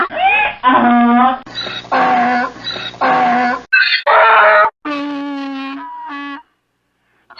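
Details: A donkey brays in a series of loud, rasping hee-haw phrases that alternate between a rough, noisy tone and a richer honking note. The phrases are cut together abruptly, and silence follows at the end.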